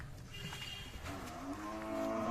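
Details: Thin, bony cows offered as a fattening package in Biral upazila, Dinajpur, on 5 July 2024: a short, harmonic, rising moo builds toward the end over low background rumble and scattered noise.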